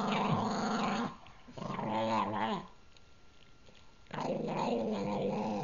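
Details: Pug named Gurgi growling over his treat inside a small room, two sustained raspy growls with a wobbling, undulating tone and a quiet gap between them; a faint voice is heard.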